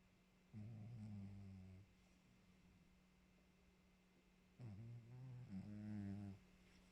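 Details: After exercising, the cat Maxou snores: a long low rasping breath, then a broken double snore with a slight rise in loudness, deep and harmonic-rich, over a faint continuous hum.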